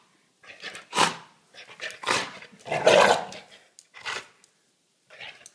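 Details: Angry Staffordshire bull terrier gives harsh, rough growling barks in uneven bursts, several loud snarled outbursts across a few seconds with short silences between.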